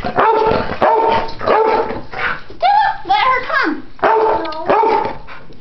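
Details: Two pit bulls at play, old dog Chomper aged ten and puppy Stella at ten weeks. Rough, evenly spaced barks repeat about every half second, broken by a higher, wavering whine-like call midway.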